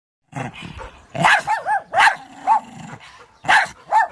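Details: African wild dogs attacking; a rapid, excited series of short yelping barks and twittering cries, several overlapping, with a low growl in between.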